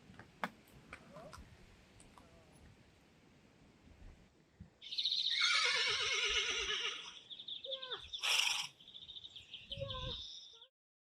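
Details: During a photo shoot, a Friesian horse lets out a long shrill whinny with a quavering, shaking tail, then a second short burst, after quiet background chatter in Dutch.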